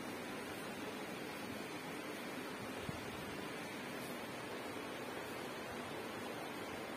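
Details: Steady broadband hiss fills the whole stretch, like rushing water or wind, with no animal voice heard.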